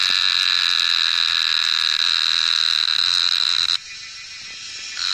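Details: A cicada in the Nepal Himalayas, recorded during wild mushroom foraging, gives a loud, steady, shrill buzz that cuts off abruptly, then starts up again.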